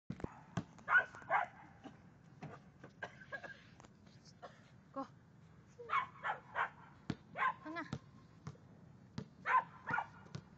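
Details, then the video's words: Six-month-old Samoyed puppy named Honey, a female, playing basketball indoors; short yips and barks come in bursts with pauses, mixed with sharp thumps and clatter from the play. "Samoyed dog "Honey" was playing basketball"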